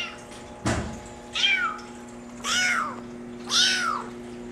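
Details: Male Maine Coon kitten, brown mackerel tabby and white, born July 17, giving three high, arching meows about a second apart after a single sharp knock, with a steady low hum underneath.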